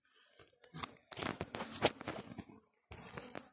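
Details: Crackling, tearing and crunching noises in bursts with short silent gaps; no animal voice or buzzing stands out.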